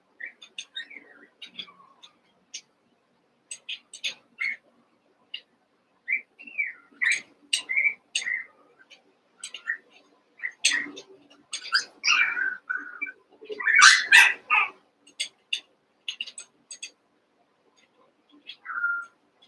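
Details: Cavalier King Charles Spaniel puppies, Daisy's six merged with Robin's two, playing together: high thin whistled whines that rise and fall, scattered short squeaks and clicks, and a louder burst of squealing near the end.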